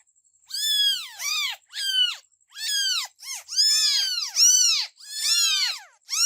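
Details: Kittens meowing in a rapid, overlapping series: high, thin, arched meows that rise and fall, about eight cries in six seconds, some clipped short and some drawn out, with no other sounds.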